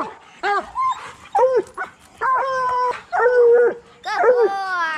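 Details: Hound baying from coon dogs being trained for raccoon hunting, named as bluetick and black and tan coonhounds. Short arched yelps alternate with longer level bawls, about one call a second, with one rising, trailing note at the end.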